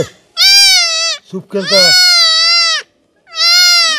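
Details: Goat kid bleating while being castrated: three loud, long, strained bleats with a slightly wavering, falling tone, separated by short pauses, with a brief low grunting sound between the first two.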